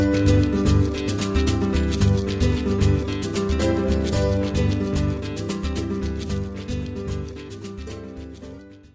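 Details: Loud rhythmic guitar-style music fills the recording, with no animal calls standing out.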